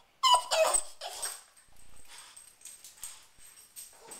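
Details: Upset by the garbage disposal, the dog Riley lets out a burst of thin high whimpers and whines, then quieter faint whining and soft rustling follow.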